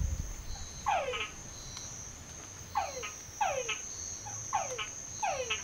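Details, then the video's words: Several frogs calling from a well in San Pedro Nonualco, giving falling whistles with trailing ticks, grouped in twos and threes, echoing slightly, with a constant shrill insect tone behind them. "Escuche cantar a las ranas"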